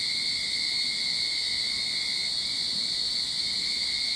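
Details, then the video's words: Backyard cicadas in Sydney as summer begins, giving a continuous sizzling high buzz with a separate lower whine that briefly fades midway before returning. "Cicada Sound to Calm your Mind"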